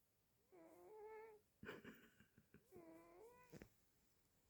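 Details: A sleeping pet cat snoring indoors: long nasal, tonal drawn-out breaths with harmonic overtones, two snores about two seconds apart, with soft rustling and clicks between them.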